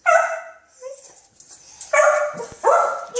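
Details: A dog in his backyard barks at sandhill cranes in the yard, giving three high, ringing, slightly whiny barks spaced about a second apart, with faint indoor murmurs between them.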